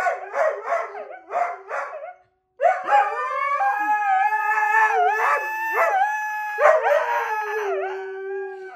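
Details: Howling dog answering a siren: opens with three short yelping barks, then launches into a long continuous howl with wavering pitch and repeated downward dips, harmonics strong and clear.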